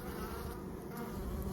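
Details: A thick, unbroken buzzing hum from a honey bee swarm being gathered from close up while the beekeeper catches the queen.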